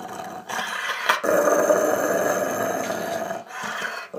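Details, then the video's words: Angry Rottweiler growling: a rough, rasping growl that runs almost continuously for about four seconds, broken by short breaths near the start and end. "Angry Rottweiler"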